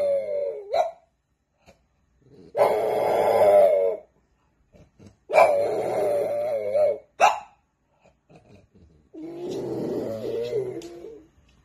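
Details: French Bulldog puppies in a funny compilation: long wavering moaning whines with harmonic overtones around two to four seconds, mixed with short growly barks, separated by brief silences, indoors in a small room.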